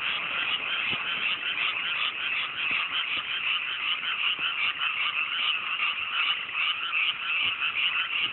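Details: Frogs in full chorus on a clear night in chilly hillside paddies newly planted with rice in rural Japan; continuous layered rattling croaks, slightly uneven in rhythm, with occasional faint low taps.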